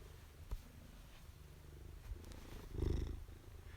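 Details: Maine Coon cat purring while being petted indoors during a live stream; steady low rumble throughout, with a few soft clicks and a louder rustle near the end.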